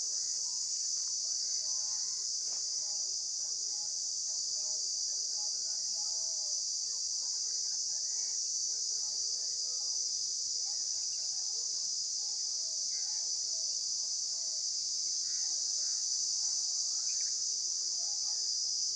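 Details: Insects keep up a constant high, hissing drone at one pitch, with soft clusters of faint chirping notes in the background throughout.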